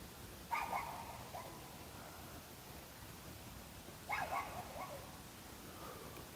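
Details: Anbaeksu, a pet dog, gives two short, soft barks about three and a half seconds apart, each a brief harmonic burst trailing off quickly, over a quiet, steady background hiss.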